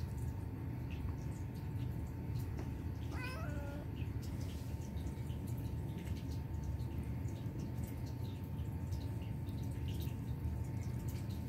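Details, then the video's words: Turkish Van cat Bobby, a male pet indoors, mewing cutely while cleaning his face; one short harmonic mew rising then dipping appears about three seconds in, otherwise a steady low room hum fills the recording. "Turkish Van Cat Bobby Mews Cutely"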